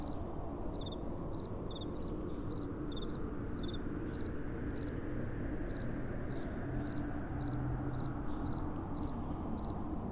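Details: Crickets calling at night while soft wind blows. Thin, high pulsed chirps come in irregular runs with brief pauses, and the low, even roar of wind stays beneath throughout.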